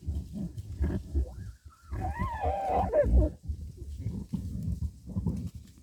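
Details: A fighting badger growls with low pulsed grunts. Midway a brief, higher whining tone rises and falls before the deep grunting resumes.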